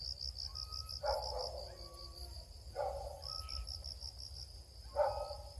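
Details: Cricket chirping recorded while searching for crickets: a continuous high pulsed chirp train throughout, broken by three short rustling or knocking bursts about two seconds apart, plus faint thin tonal lines.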